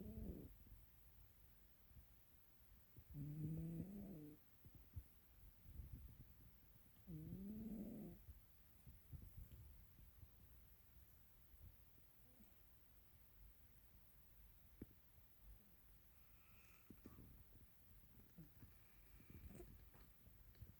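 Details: Pet cat asleep and snoring indoors at home in Pelham, Ontario, on April 8, 2022; two soft, rasping snore breaths about four seconds apart, then only faint quiet hiss.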